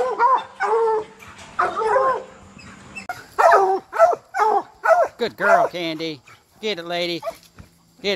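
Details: Bluetick and black and tan coonhounds being trained to hunt raccoons. Uneven bursts of bawling give way to sharp arched yelps, then a few long, quavering howls with rich overtones near the end.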